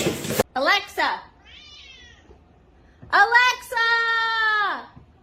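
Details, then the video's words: Kitten meowing indoors: two short, clipped mews, then a quiet pause, then a long, drawn-out meow that holds steady before dropping at the end. Human speech is mixed in. "kitten meowing crying"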